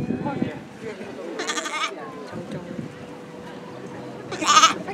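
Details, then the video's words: Black lamb born 21 May at Chiba Zoological Park, Japan, filmed in June 2017, gives two short, wavering, harmonic bleats about three seconds apart, with people talking nearby. "Black Sheep Baby Bleat"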